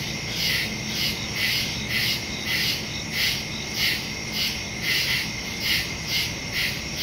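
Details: Crickets at night in the woods, recorded September 2, 2023 on a Samsung Galaxy S22 Ultra with a Shure MV88+ stereo microphone: steady pulsing high chirps, roughly two per second, over a continuous insect drone.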